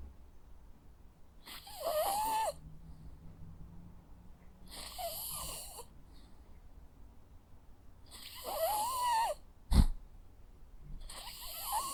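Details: Jack Russell Terrier snoring in its sleep: a steady run of raspy, wheezy breaths every three seconds or so, whistly at the peak, with a sharp brief knock near the end.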